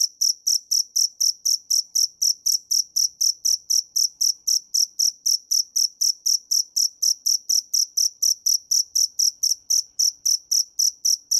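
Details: Shrill, steady chirping of a dế mèn cricket, pulsed high notes repeated about four per second without a break across the whole stretch, no competing sounds.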